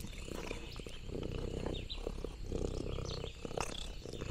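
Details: Orange tabby Lexi out on the farm, purring contentedly. A continuous deep, pulsing rumble sits beneath scattered crisp clicks and rustles of leaves and nibbling.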